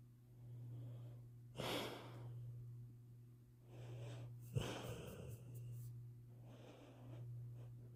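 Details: Sleeping bluenose pit bull snoring away: slow, raspy breaths about every three seconds, some ending in a wheezy snort, with a constant low hum in the room.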